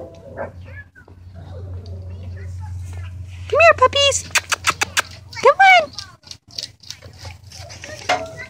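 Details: Great Dane puppies giving a few loud, high, arched yelping whines in quick bursts, a cluster near the middle and another a second later, with a woman calling to them, soft rustling and a steady low hum underneath.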